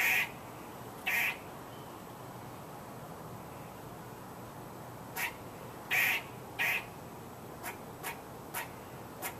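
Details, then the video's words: Squirrel giving rough, noisy squawk-like barks, singly and in close pairs, followed by a run of brief sharp clicks spaced under a second apart, against a quiet hissing background. "Squirrel Making Noise"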